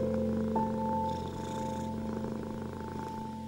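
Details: Domestic cat purring, a steady low rumbling throb running beneath sustained soft piano notes, part of soothing music meant for anxious, ill and stressed cats; the piano tones hold long and overlap the continuous purr throughout.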